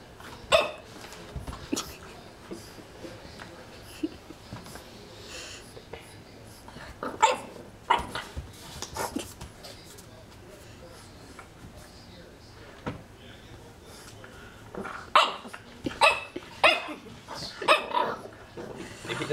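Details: Young French Bulldog frightened by a magazine, giving scattered short yaps and huffy breaths, with long quiet gaps and a quick cluster of barks near the end.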